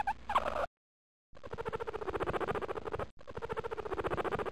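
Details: Pet guinea pig purring, a low rapid buzz of even pulses running in long stretches, broken by short silences, with faint squeaky tones audible at the very start.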